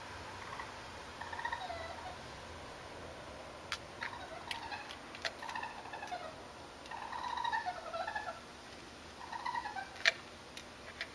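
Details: Four young urban raccoons, cautious yet curious, pass close across a terrace where cat food was left out. They chatter in thin, wavering trills, twitters and churring chirps in uneven bird-like bursts, with sharp clicks and scuffs between.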